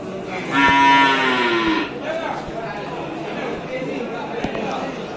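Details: A bovine at the Sibreh livestock market, Aceh Besar, Indonesia. A single rich, harmonic moo lasts just over a second, then quieter murmuring, distant voices and occasional knocks.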